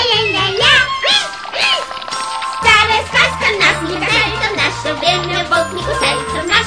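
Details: Upbeat children's-style music with jingling bells, a bouncing bass and sung gliding vocals fills the whole stretch, with a brief quieter gap near the middle and no animal sound.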